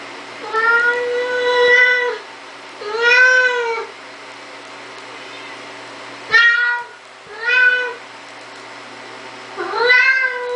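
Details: Indoor Siamese cat opening a door, uttering long drawn-out meows, the first lasting nearly two seconds, then shorter arched calls in pairs with pauses between, over faint background hum.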